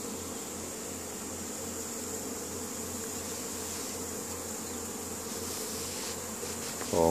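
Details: Honey bees foraging in spring, carrying pollen home to their colony at Caribou, Nova Scotia, Canada, on May 10, 2015: a steady, dense, low droning hum of many wings, unbroken throughout, with a man's voice starting at the very end.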